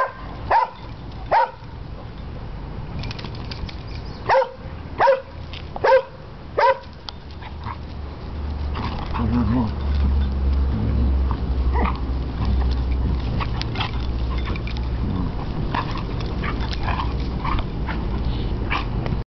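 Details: Basset Hound pup playing with an older Beagle/Basset Hound dog: a burst of six sharp, loud barks within about seven seconds, then quieter yips among human voices and a heavy low rumble.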